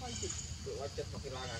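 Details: Hungry baby monkey Leo crying to beg milk from its mother: a quick run of thin, wavering whimpers, several bent notes in under two seconds, with steady low background noise.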